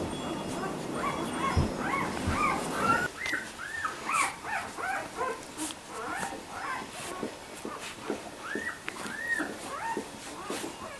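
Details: Labrador Retriever puppies at four weeks old whimpering: overlapping high, arched whines repeated about two to three times a second, several voices at once, over a steady background hiss.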